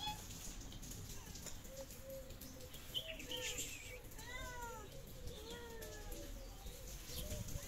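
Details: Hungry stray cats on the streets of Morocco, two of them pregnant, giving several arched, slightly descending meows in the second half, faint at first then clearer, over steady street noise and low rumble.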